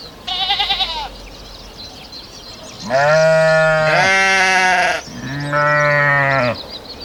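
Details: Sheep bleating. A short tremulous, wobbling baa comes first, followed by two longer, fuller bleats that run into each other and then a third steady one. Birds are faintly audible behind.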